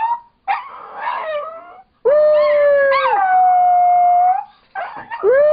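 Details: A seven-pound female Chihuahua-Dachshund mix "sings", howling in long, wavering tones with brief yips between.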